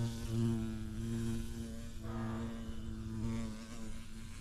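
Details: Close, low droning hum of a bumblebee at a yellow orchid, wavering slightly in pitch as it shifts about the flower, with a soft bird note and faint outdoor ambience behind.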